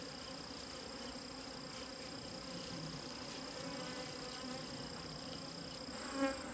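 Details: Wild bees droning near hidden wild honey, a steady low hum beneath a constant thin high-pitched whine, with a short louder knock near the end.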